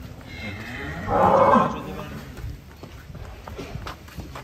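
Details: Short, throaty bellow from one of several giant cattle being unloaded off a truck in Indonesia, lasting about half a second amid low crowd noise and clatter.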